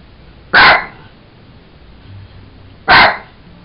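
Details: Jack Russell Terrier Sugar, playing with her toy monkey at home, lets out two sharp barks roughly two seconds apart against faint indoor background hum.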